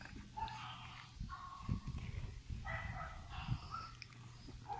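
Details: French Bulldog puppies born on 14 July 2018, kept for rehoming; soft, low grunting and snuffling with short harmonic whines, faint and intermittent, over a steady low hum.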